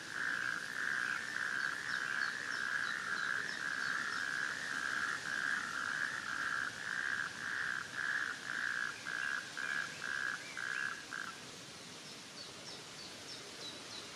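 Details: On 19 June 2024, after rain filled shallow water in a sand pit in Wendland, Northern Germany, a natterjack toad (Epidalea calamita) gives a loud, steady rattling trill that breaks into short bursts before stopping.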